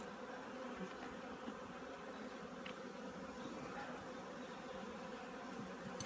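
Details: Honey bees readying their hive for winter at an apiary in Korea; an unbroken, soft, steady droning buzz with only faint occasional ticks.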